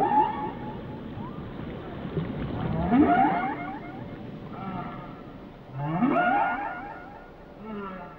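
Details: Whale singing in layered, rising cries with rich overtones, two loud upswept phrases about three seconds apart, softer wavering moans between, under constant sea rumble.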